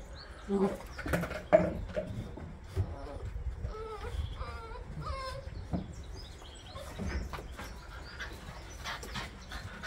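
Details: Newborn Bernese Mountain Dog puppies from a September 2023 litter give a few short, arching whimpers midway through, over low rumbling background noise and occasional handling sounds.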